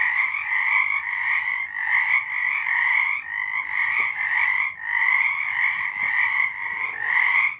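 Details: Frogs singing at night in March 2023, a dense chorus of overlapping pulsed croaks forming steady bands of sound, mid and high pitched, swelling and dipping every second or so with no other sounds.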